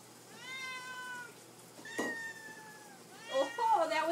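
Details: House cats asking to be fed indoors. Two long, steady meows are separated by a knock, then a person's voice speaks over a further mewing sound at the close.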